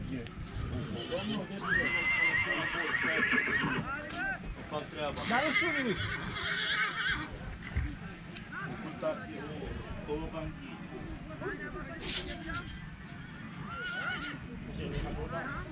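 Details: Horses for sale at Vicovul de Sus; one horse gives a high, quavering whinny that slides downward over about two seconds, with men talking nearby and shuffling, clattering movement throughout.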